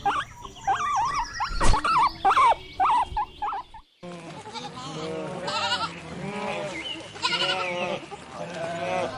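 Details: Sheep bleating in a chorus of wavering, overlapping bleats through the latter half, several voices calling over one another. Sharper, higher cries and a loud knock come before them.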